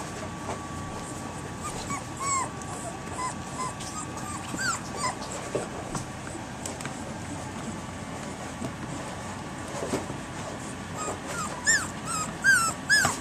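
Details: Litter of three-week-old puppies, one day past three weeks, filmed 10.10.11, alert and barking at people for attention; thin, high whimpering yips with arched pitch, scattered and soft at first, bunching into a quicker run near the end over a steady faint hum.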